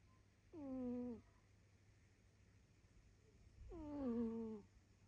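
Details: Snoring house cat giving two drawn-out, steady, whistly-nasal snores about three seconds apart, each slightly falling in pitch and ending abruptly, with a faint low hum between breaths.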